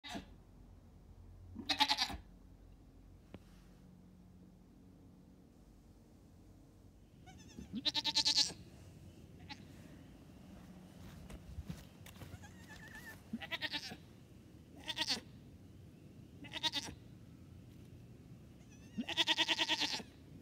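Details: Two-day-old newborn triplet goat kids in pajamas, taking first hops under their mother's watch; high, quavering bleats come in short bursts spread across the recording, with quiet gaps and faint low background noise between calls.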